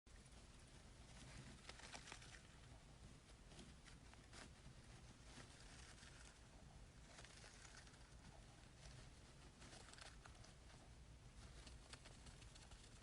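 A hamster rustles and scratches steadily through soft bedding as it builds a nest.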